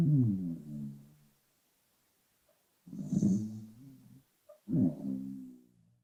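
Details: Sleeping pet dog Arlo snores, volume tweaked for clarity: three deep, vibrating rumbles with falling tails, the middle one topped by a soft whistling hiss, separated by brief silences indoors.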